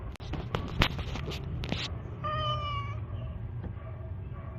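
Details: Domestic cat gives a single drawn-out, clear meow lasting about a second, steady in pitch then fading, after a run of sharp clicks and rustling handling sounds.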